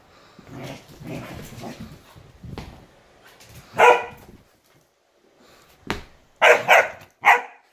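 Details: Nearly four-month-old Giant Schnauzer puppy barking while playing keep-away: softer low sounds early on, then one sharp, loud bark near the middle and a quick cluster of three loud barks at the end, separated by brief silences.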